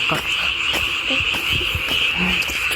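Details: Frogs calling at night along a walking path on Nami Island, South Korea: a steady, unbroken high-pitched chorus runs throughout, overlaid by footsteps, rustling and brief human voices.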